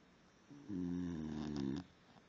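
A sleeping basenji gives one low, droning snore with a slightly buzzy, throaty tone.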